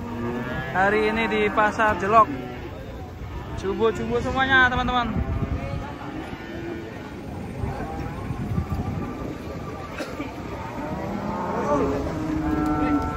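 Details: Huge cattle unloaded from a truck one morning give several strained, wavering moos in quick bursts near the start, followed by quieter lowing under steady voices and vehicle rumble.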